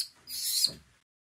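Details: An orphaned infant vervet monkey at a South African sanctuary gives a harsh, breathy, high-pitched squeal, calling out for its lost mother in hope she will hear and return.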